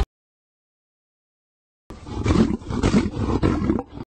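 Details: Lion. A lion lets out a low, throaty roar, rumbling in a few strong, uneven surges. The sound is gravelly and powerful, sitting mostly in the deep register.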